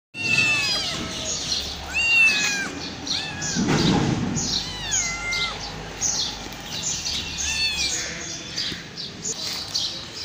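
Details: Homeless hungry mother cat with five kittens, crying loudly for food: repeated plaintive meows with falling then rising pitch, several close together, plus a burst of low rumbling noise midway.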